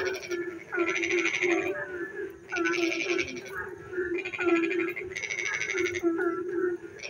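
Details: Rainy night with frogs singing: coarse ratcheting pulse trains a second or so long, spaced by short gaps, over a continuous low hum from many more distant callers.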